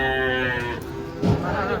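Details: Giant cattle jumping down from a truck; a loud, deep moo with rich stacked harmonics holds steady for most of a second, then fades, followed by a thump and low rumbling background noise.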